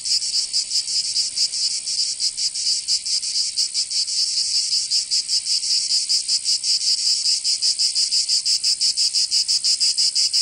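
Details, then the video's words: Cicadas singing in summer in Provence, southern France: a dense, high, hissing buzz that throbs in rapid pulses, roughly four to five a second, slightly uneven in pace, with no other sounds. "Canto Cigarra 🦗 [ Escuchar les cigarras en verano 10 H]"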